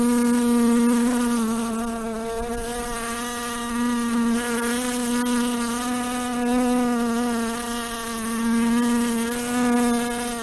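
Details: A housefly (Musca domestica) buzzes its wings steadily, a low droning hum that wavers slightly in pitch and loudness.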